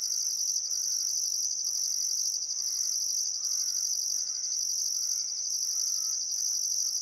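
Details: High steady cricket trilling with regularly pulsing upper notes along the Barcoo River, Welford National Park, Outback Queensland at summer sunset; a bird repeats short wavering, quavering phrases roughly once a second beneath the insects.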